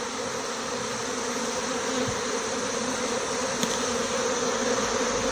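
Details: Departing honey bee swarm leaving a small six-frame hive along with the queen, marked white; loud, continuous, dense humming of countless wings, steady throughout with a faint click.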